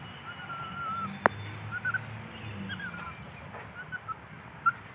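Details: Baby orangutan giving thin, wavering whistled squeaks at a steady mid-high pitch, several short bursts spread over five seconds, with one sharp click near the start and a faint low hum underneath.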